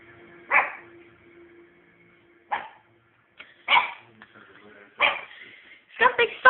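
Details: Young pet dog barking through bonfire night; six abrupt barks spread irregularly, the last ones quicker and clustered, over a faint steady hum and a few soft clicks.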